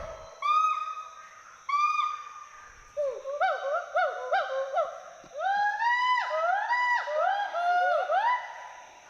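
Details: Two wild endangered Western hoolock gibbons climbing and swinging through forest trees at Hollongapar Gibbon Sanctuary, Assam, giving whoops and hoots; clear rising whooped notes repeat in quickening series, climbing in pitch and alternating in a duet-like exchange.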